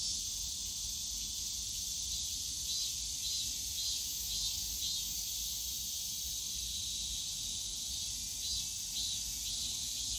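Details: A summer afternoon in Yongsan Family Park's bamboo grove carries a constant high cicada buzz, softly swelling and fading in waves, with faint low urban park sounds beneath.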